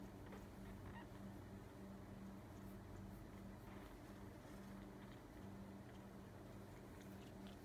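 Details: A six-day-old Siamese kitten, eyes not yet open, purrs after feeding while being stroked: a soft, low, crackling rumble that swells and eases with each breath.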